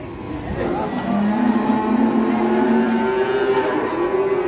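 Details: Giant fattened cattle jumping and stamping during unloading let out a long, steady, low moo lasting several seconds, with rich harmonics and a slight upward step partway through. Faint voices are behind.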